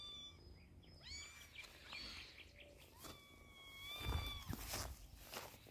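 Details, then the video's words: Kitten treated with eye drops for its eyes, giving thin, drawn-out high meows that partly overlap, with low rumbling handling sounds and thumps toward the end. "We Used Eye Drops to Treat Poor Kitten's Eyes😿"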